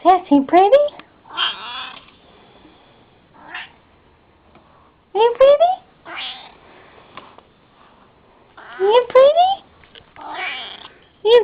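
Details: Pet cat, female, indoors, giving several short meows with rising then falling pitch, spaced a few seconds apart, between bursts of a person's affectionate talking.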